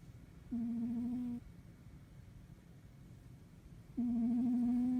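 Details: A male domestic cat sleeping cuddled on a bed snores, each breath carrying a level, reedy whistle of about a second, roughly every three seconds in a quiet room.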